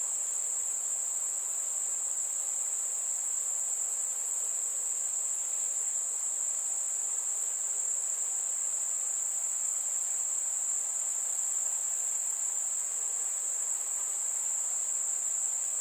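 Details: Crickets on a warm summer night among fireflies, giving a steady, very high-pitched trill that runs unbroken for the full sixteen seconds, with no other animals or voices heard.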